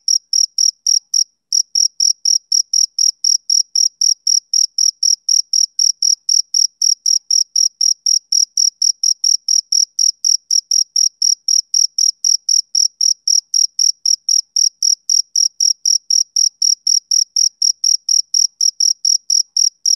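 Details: Male cricket chirping through a summer evening, a long run of sharp high pulses at about four per second, broken by one brief pause near the start, then steady again with no other noise.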